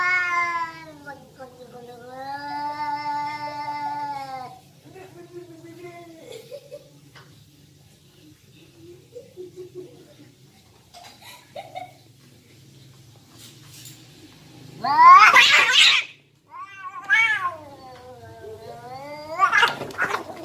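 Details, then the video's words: Domestic cats fighting: two long wavering, harmonic yowls in the first five seconds, then quieter moans. A sharp hissing spit comes near fifteen seconds, followed by a rising-falling yowl and another burst of hiss. "Cats Fighting and Meowing"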